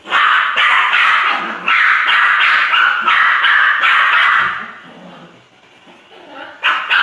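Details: Poodle giving a fast run of loud, harsh barks, several per second for over four seconds, then a quieter stretch of soft whimpering sounds before two more sharp barks close the sequence.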